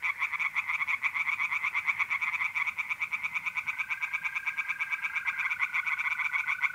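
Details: Tree frogs singing in a pond at night in mid-April, north-east Italy: a dense chorus of rapid, raspy pulses repeating about three times per second, with a steady, unbroken trill from mole crickets running underneath.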